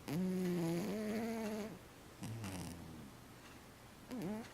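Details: Matchan, a 15-year-old cat who sleeps all day, snoring: a long tonal, humming breath with stacked harmonics, a shorter low rumbling one, then a brief dipping nasal sound at the end in a quiet room.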